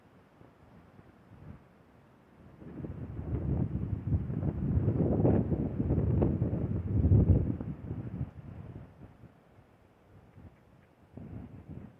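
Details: Low, rumbling wind buffets the microphone in gusts, with no animal calls heard.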